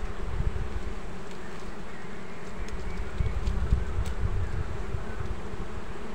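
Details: Honey bees found along new streams while bees are being caught; a steady, low droning hum with faint tonal bands holds evenly throughout, with no other clear sounds.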